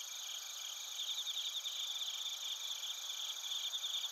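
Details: Crickets, including bell crickets, chorus in Narita, Chiba, Japan, recorded on a TASCAM portable recorder: dense, overlapping high-pitched trills and pulsed chirps about 158 per minute, over a steady shimmering insect drone.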